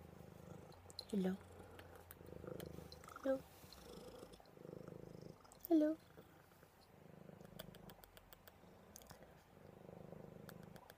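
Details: Purring from Buddy the cat, a cuddle bug settling down: steady low rumbling in pulsed stretches, interrupted by three short loud bursts of a voice, with faint ticking sounds in the background.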